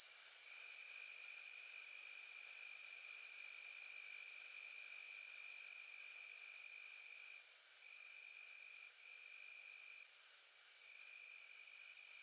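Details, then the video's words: Crickets in a field give a steady, high, continuous ringing trill with a lower pulsing tone beneath it that breaks off briefly a few times; nothing else intrudes. "Crickets in the field making Peaceful Sounds"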